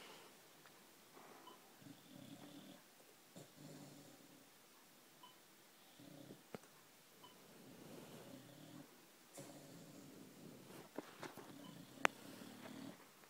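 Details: Sleeping Boxer dog snoring softly. Quiet, hoarse breaths rise and fall in uneven bursts, with scattered clicks and a sharp tap near the end, indoors.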